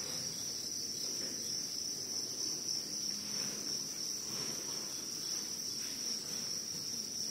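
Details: Crickets give a steady, unbroken high-pitched trill that holds one shrill tone throughout, with only a faint low background hiss beneath.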